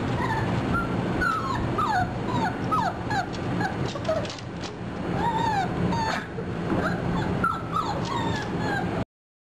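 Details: A litter of 4.5-week-old German Shorthaired Pointer puppies whining and yipping together, with many short rising and falling squeals in quick succession, some brief and sharp, all above a constant low background hum.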